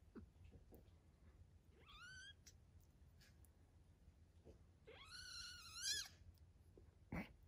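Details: Foster kittens three weeks old, playing and learning to play: two high, bright meows, a brief one first, then a longer, louder, strained cry lasting about a second, with soft clicks and rustles around them.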